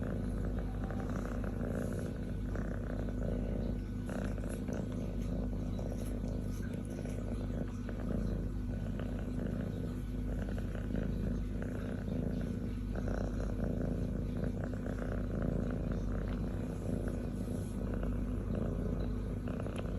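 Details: Contented young female cat purring on her human's chest as she licks and kisses him; a sustained low buzzing purr, rhythmic and even, with faint rustling and licking noises.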